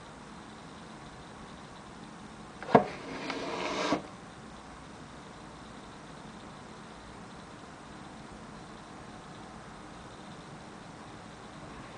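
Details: Quiet indoor room tone with a sudden knock near three seconds, followed by about a second of rustling, then steady low background hiss.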